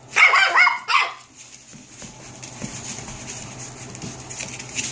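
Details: Seven-week-old puppies; two loud high-pitched yapping barks at the start, then quieter rustling and faint movement sounds.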